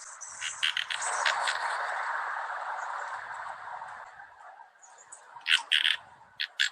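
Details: A frog by a creek, which the recordist thinks is a Sierran tree frog, heard but not seen in a dry December in the Bay Area, gives short, raspy pulsed calls over the steady rush of the creek.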